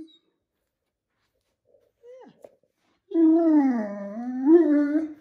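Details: Maddie, a talkative Great Dane, complaining indoors while Jack the cat lies upside down blocking the doorway between bedroom and bathroom; a sustained low wavering moan, rising and falling for about two seconds.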